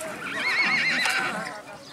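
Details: A white Marwari colt, a young foal, whinnies at the Balotra horse fair market in India while being run on a longe: a high, quavering neigh that wavers up and down for about a second, with hoofbeats and a man's voice nearby.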